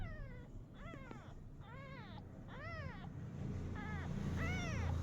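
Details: Active kitten giving six loud meows in quick succession, each an arched, high whining note that rises then falls, over steady low rumbling background noise.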